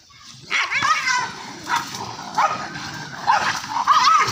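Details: Two Indian pariah dogs fighting, angry: a sharp bark, then high rising yelps and whining cries in bursts over a steady background hiss.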